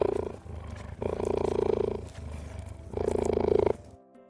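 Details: Cheetah played back by Siri on request: a low, rough rolling purr-like sound in three long bursts of about one second each, separated by short pauses, with a steady buzzing texture throughout.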